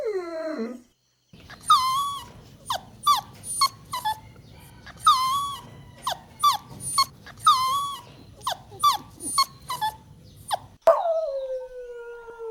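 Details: Golden Retriever puppies playing outdoors on green grass whimper and yelp in a string of short, high-pitched cries, each sliding down in pitch, over a soft background hiss, with one longer falling whine at the close.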